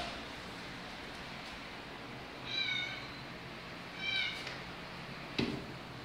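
A Bengal cat gives two short, high-pitched meows about a second and a half apart.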